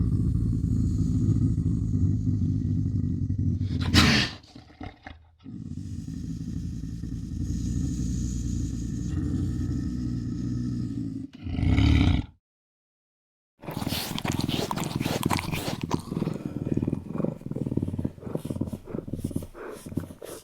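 A Eurasian lynx gives low, rough, growling calls broken by short pauses.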